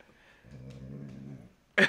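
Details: A pet Rottweiler purring indoors: a low, steady rumbling with stacked tones lasting about one second, followed by a sharp loud knock or click near the end.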